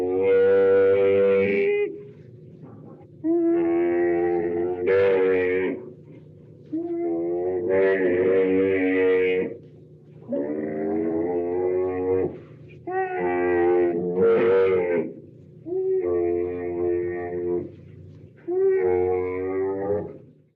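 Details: Domestic Bactrian camel voicing a series of about eight drawn-out, rich, moaning bellows, each lasting one to two seconds with brief pauses between, some wavering and rising in pitch toward their ends.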